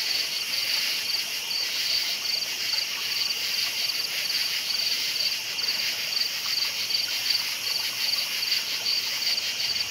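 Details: Many crickets calling at night in an unbroken, high, rapidly pulsed chirping chorus, even in loudness from start to finish.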